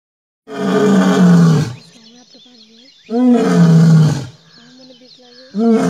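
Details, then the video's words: An Asiatic lion in Gir, Gujarat, India, gives deep, rumbling roars while drinking water, each roar lasting over a second and falling slightly in pitch. "Lion Roar during drinking water ll Must watch awesome video"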